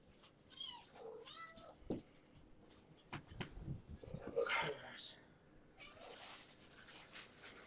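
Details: Kittens from a rescued litter, checked indoors at bedtime after a vet day with vaccination shots; several thin, high meows rise and fall in quick succession early on, then fade under a person's talking and handling rustles.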